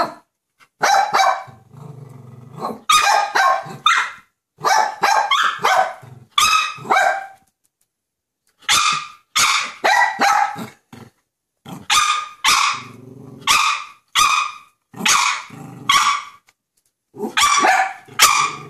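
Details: Young West Highland White Terrier, six months old, reacting to a squirrel on the deck: sharp barks in clusters of two to four, separated by brief silences and low growls.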